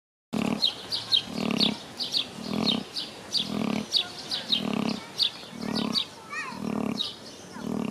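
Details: Vietnamese pot-bellied pig snoring during its midday nap at Tierpark Bad Kösen in Germany: deep rhythmic snores roughly every 0.7 seconds, each with a raspy hissing breath, steady and repetitive, with faint bird chirps in the background.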